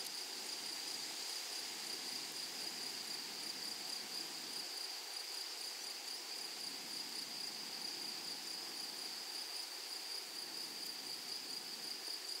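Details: Grasshoppers in a flowery meadow keep up a steady, high, even buzz that never breaks. A fainter second band sits above it, and soft low rustling swells and fades underneath.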